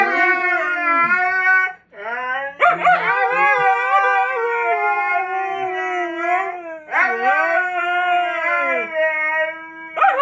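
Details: Vocal Siberian Huskies communicating, a little demanding, as a daily bike ride begins: long sustained howls with clear harmonics, broken by short yelping onsets around three and seven seconds.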